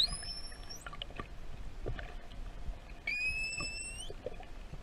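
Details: Underwater off Tenerife, a young pilot whale answers a human's whistles: two long tonal whistles, each ending in an upward flick, the second starting lower and then holding steady. Faint clicks and water noise are heard in the background.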